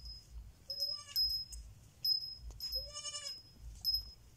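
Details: Baby goat kid bleating: two nasal, wavering bleats about two seconds apart, each rich in harmonics and lasting half a second, over a steady high-pitched whine and soft rustling.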